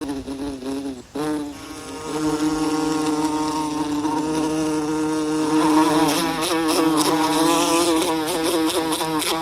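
A bee's steady, low buzzing drone hums on, swelling slightly as it moves closer.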